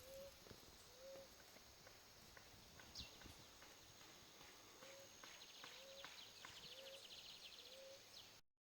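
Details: Cicadas, known in Brazil as cigarra, plentiful on a Brazilian property from December to February. A faint, steady high hiss with a thin sustained whine throughout, and short low rising notes about once a second.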